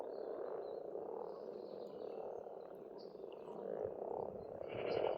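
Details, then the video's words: Spring frog chorus from a pond in rural Estonia, a steady low purring drone of many overlapping croaks, with faint distant birdsong drifting above. "Расслабляющее пение птиц и лягушек"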